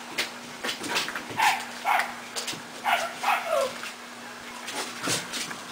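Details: Young puppies, just starting on dry food, let out short yelping whimpers that slide downward in pitch, five or so bunched within two seconds, while a woman talks gently to them.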